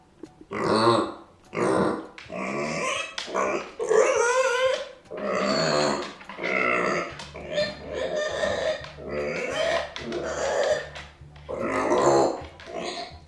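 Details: Left behind by its owners, an indoor micro pig protests with discontent and anger: near-continuous loud, harsh squealing screams in repeated bursts about a second long, some rising in pitch, over a faint low hum.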